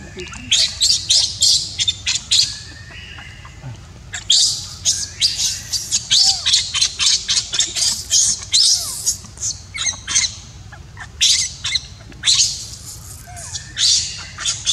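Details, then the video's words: Baby monkey crying as its mother refuses to care for it: harsh, high, noisy squawking screams come in quick irregular bursts, dense and loud for much of the stretch, with brief gaps between volleys. "Poor baby monkey cries when Mom Monkey does not want to take care."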